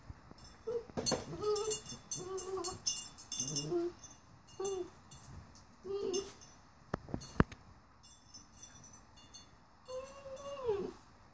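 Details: Domino, an 8-month-old rat terrier, talks while playing with a flower vase: short whiny, moaning bursts with wavering pitch in the first four seconds, a longer falling whine near the end, and glassy clinks and taps from the vase between them.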